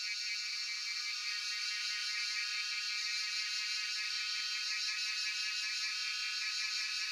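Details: Cicadas, locally called Jhyaukiri, in Shivapuri National Park at Tarkeshwor, recorded on a cellphone: a steady, dense high-pitched buzzing drone with a faint pulsing texture, continuous throughout with no pauses.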